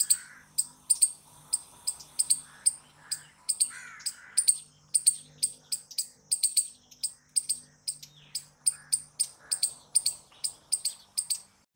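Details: Loud squirrel noises, a steady run of piercing, high chip notes, often doubled, repeating several times a second for the whole stretch, with brief lower squeals early on and a quiet low hum behind.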